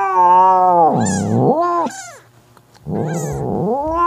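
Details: Mother cat Mocha, furious at her jealous sister Kofi trying to take her kitten, gives a sustained moaning yowl that dips into a rough growl, pauses, then resumes a low growling wail.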